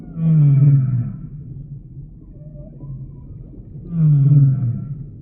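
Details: Humpback whale song for relaxation listening: two low, moaning units about four seconds apart, each swelling and then fading, with a faint higher squeak between them over a soft underwater rumble.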